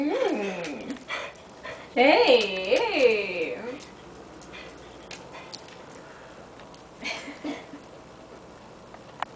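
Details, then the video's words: Pet dog Anna vocalising indoors, a sliding whine that falls, then a louder run of swooping yodel-like moans rising and dropping in pitch for about two seconds, followed by quieter huffs and a faint voice in a small room. "Anna making noises"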